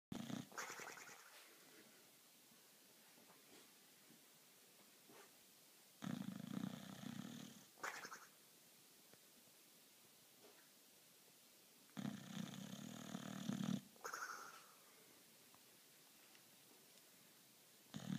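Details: Sleeping dog snoring indoors: rasping, breathy snore bursts of one to two seconds recurring roughly every six seconds, with quiet breathing in between.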